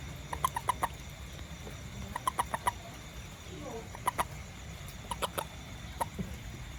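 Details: A small toad out after rain in a garden, calling in brief clusters of three to five crisp clicking pulses, repeated irregularly every one to two seconds, against faint low hum.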